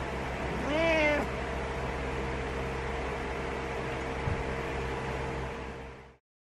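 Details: ['Impatient morning meow from Butters the cat, wanting the owner awake: one rising-and-falling meow right at the start, then only quiet indoor hum.']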